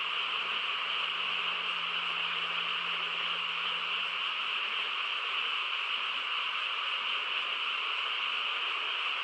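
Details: Frogs in chorus on a quiet countryside night: a dense, unbroken trilling drone where individual callers blur together, steady in loudness throughout, with a faint low hum in the opening seconds.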